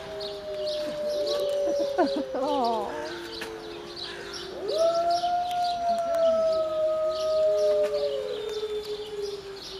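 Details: Several gray wolves at Berlin Zoo howl together in long, smooth, overlapping tones that rise and slowly fall.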